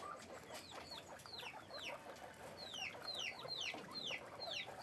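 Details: Guinea pigs in cages on a guinea pig farm give high squeaks that slide steeply downward. Several overlap in quick succession, about two a second, over a steady low hiss.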